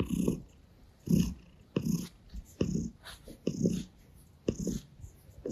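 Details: Gray Russian Blue cat purring while licking a hand and kneading on a person's stomach; low rumbling bursts come in a steady rhythm about once a second, with soft brushing and licking noises between them.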